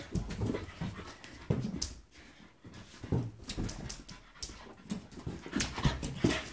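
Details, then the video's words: French Bulldog playing with a balloon: short snorting grunts and huffing pants come in bursts, with brief quiet gaps near two and four seconds, then quicker snuffling huffs toward the end. "Francia bulldog vs lufi"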